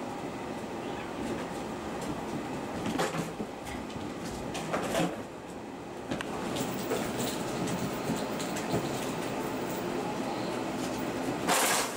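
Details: Steady indoor rumble with scattered thumps, scuffles and a door-like slide near the end, and no clear animal voice.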